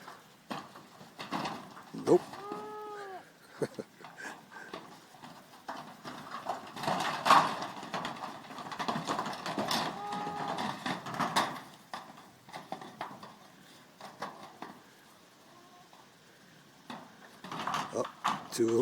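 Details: Young goats at play in their pen give a single clear quavering bleat, then a fainter one later on, amid steady rustling and hoof clatter, with a person's voice talking now and then.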